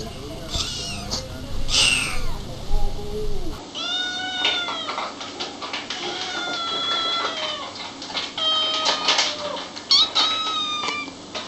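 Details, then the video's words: Kittens and cats meowing in a cute compilation: a run of clear, arching, tonal meows, several in quick succession and overlapping, after a short noisier opening section with voices. "Kittens meowing"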